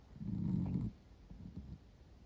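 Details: Sleeping female Miniature Dachshund snoring contentedly: one deep, rumbling low snore lasting under a second, followed by quieter, softer breathing rasps.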